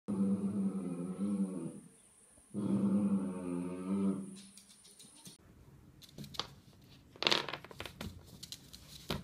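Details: Dachshund indoors giving two long, low rumbling growls, each about two seconds, with a steady harmonic hum; after these, soft rustling and scattered clattering noises fill the room.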